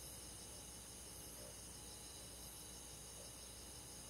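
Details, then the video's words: Crickets and grass insects singing on a quiet summer night in the countryside, a continuous high buzzing trill chorus without pauses, low background hum below. "잠이 잘오는 여름밤 잔잔한 풀벌레소리"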